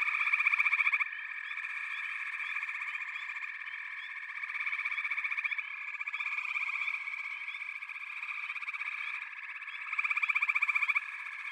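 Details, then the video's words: Dense frog chorus of rapid, rattling pulse trains that rise and fall in loudness in waves, with loud surges at the opening and again near ten seconds, and short chirps scattered through. "FROGS - Pig Frogs, Water Frogs, Backwater Chorus, & Frog Chorus"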